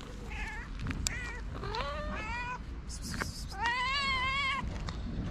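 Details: Two hungry stray cats on a street in Morocco, fed daily by a local: four meows, some short and rising, the last long and drawn out, over low background rumble and clicks.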